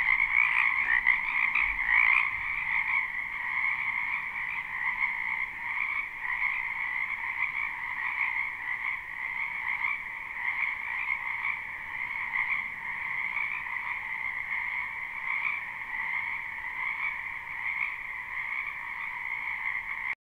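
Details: Live spring recording of frogs croaking in a wetland behind a house: a thick, continuous chorus of rapid trills, a few sharper calls standing out in the first two seconds, then an even, unchanging hum of many frogs.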